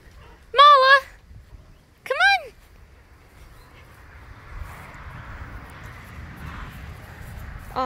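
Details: Esme, a pet fox moody in the morning, utters two short arched whines about a second and a half apart, followed by soft rustling and a woman's voice praising her.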